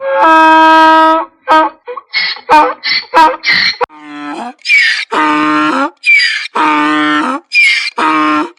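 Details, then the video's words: Braying donkey, an aggressive sound given when angry or afraid: a long rich honk, a few short gasps, then loud alternating hee-haw phases with a squealing high tone on the inward breath. "DONKEY SOUNDS! What sound does a donkey make"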